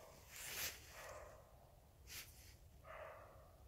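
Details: Roe deer barks: a rough, breathy bark early on and a second one near the end, mixed with a couple of sharp hissing bursts of noise.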